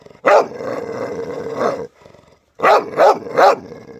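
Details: White dog giving a long, strained whine-like bark held for over a second, then a pause and three quick sharp barks in a row.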